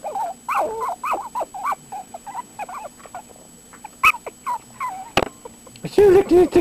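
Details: Puppies from a dog's first litter giving a quick series of high, wavering whimpering howls that thin into scattered yips, with a couple of sharp clicks and a person's voice talking near the end.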